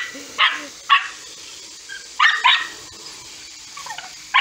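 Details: Scottish Terriers at a window while it is being cleaned; short sharp barks in bursts, several spaced about half a second apart then a pause, with a later pair and a final bark, quiet room between.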